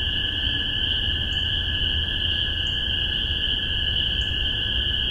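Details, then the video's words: Spring 2015 chorus of spring peepers in Massachusetts, recorded in spaced omni stereo: an unbroken high-pitched peeping band, only three separate rising peeps standing out, with a lower continuous drone beneath. "Spring Peepers"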